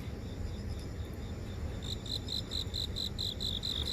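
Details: Grass insects singing in a house garden in central Seoul, recorded on a phone while walking near an office: high, rapid chirp pulses about four per second, steady from the second half on, over a low city traffic rumble.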